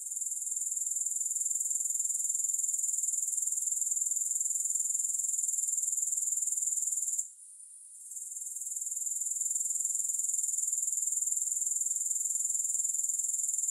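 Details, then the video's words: Grasshoppers in a steady, high-pitched shrill trill of rapid pulses, unbroken except for a brief dip near the middle before the chorus swells back; no music or other sounds. "Grass Hopper Sounds"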